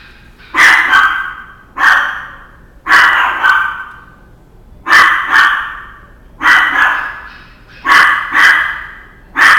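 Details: Male Chihuahua barking: sharp high yapping barks, often in quick pairs, repeated roughly every one to two seconds with short quiet gaps between.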